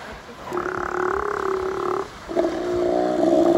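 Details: Steller sea lions in Prince William Sound, Alaska, on August 17, 2020, give deep, drawn-out burping groans with a rough, pulsing tone before all diving underwater together.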